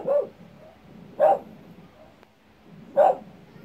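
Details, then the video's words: Dog barking at its own echo: three short, sharp barks spaced irregularly, with faint softer echoes trailing between them in a quiet setting. "Dog barks at its own echo"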